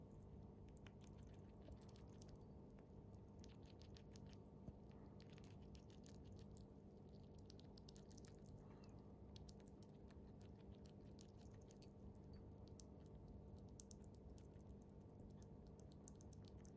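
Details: Bikke, a pet chipmunk, munching its favourite jelly food made for small animals: steady squelchy chewing with rapid soft wet clicks and smacks, running without pause over a low indoor hum.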